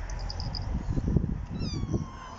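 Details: On a sunny morning in the garden, a rescue cat, one of the trio Lucy, Tutu and Binx, lets out a short harmonic meow that climbs then fades, after low muffled thumps and murmuring voices.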